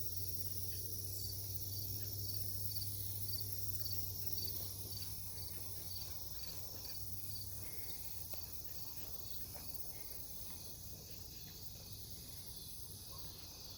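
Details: Cicadas in a forest near a farm at night, Omaha, Nebraska, dated 08 03 2021, near a fallen tree: a steady high shrill drone with a faint pulsed chirp repeating about twice a second, over a low constant hum.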